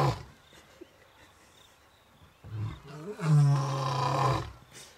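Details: Male lion on an African game reserve, one of two roaring: after a quiet stretch with chirping crickets, a short low grunt leads into a single powerful, deep roar held for more than a second before fading.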